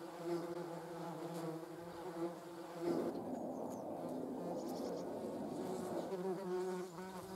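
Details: Yellow jackets (German wasps) captured with a Sony RX10 III; a steady droning wing buzz that turns rougher and noisier midway, then returns to a clean, wavering hum near the end.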